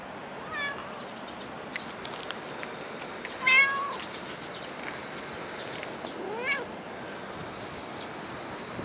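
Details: A cat at Dockyard Garden, recorded 8 July 2016, gives three short meows a few seconds apart, the middle one loudest and falling in pitch, over a faint steady outdoor hum with scattered clicks.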